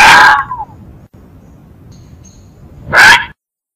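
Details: Fox producing two harsh, scratchy yelps about three seconds apart, the first trailing off in a falling note; calm, quiet background.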